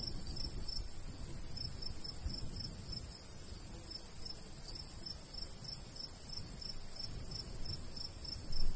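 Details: Crickets in summer countryside beside a golden wheat field, a steady stream of short high chirps pulsing several times a second over low rumbling breeze.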